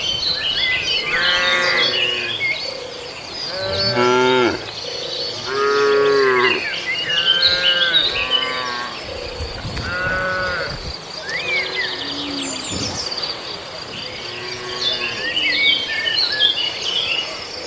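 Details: Cattle in an Indonesian village invading residents' green grass to graze. Roughly eight moos follow one another closely, some short and some long and bending in pitch. Birds twitter and insects trill behind them.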